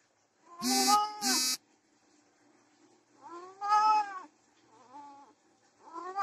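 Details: Desi and Persian cats during mating: two loud, harmonic, drawn-out yowls in quick succession, then a wavering mid-pitched wail about three seconds later and another rising cry at the end, with quiet gaps between.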